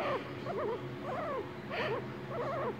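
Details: Pet guinea pig, around the time its toenails are being cleaned, giving wavy, up-and-down squeaks in five short bursts spread across under three seconds, over a low background hum.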